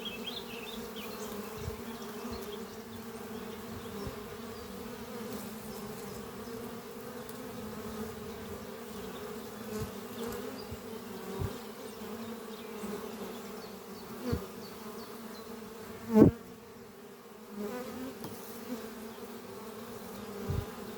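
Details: Honey bees flying at a horizontal hive made from an old French oak chest, under trees on a spring morning, workers bringing in pollen; a steady low droning hum throughout with a few brief knocks and clicks.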